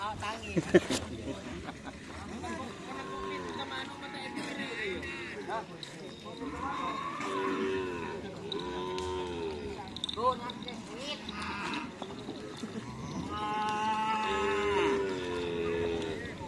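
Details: Cattle at karapan sapi race training at Lap Asemanis: several drawn-out, harmonic moos that bend up and then down, clustered near the middle and again toward the end, over crowd chatter, clatter and faint music.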